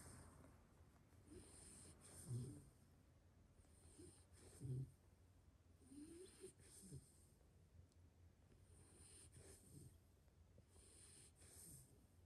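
A pit bull snores in low, rumbling breaths repeated every couple of seconds.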